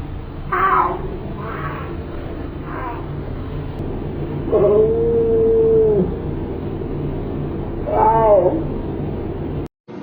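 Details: Pet cat talking with its owner: a string of short, wavering meows repeated every second or so, then a long, level, drawn-out meow and a final rising-falling one, over a steady background hum.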